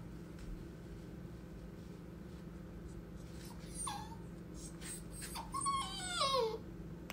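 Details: Female Beagle puppy, about two and a half months old, grumpy on her first day at a new home, gives short falling whimpers, then a burst of high quavering whines near the end, after a quiet indoor stretch.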